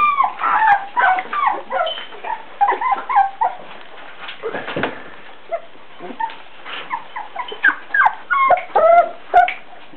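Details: A litter of Beagle puppies, four weeks old, whines almost continuously, producing rapid, uneven runs of high rising and falling squeaks, about two per second.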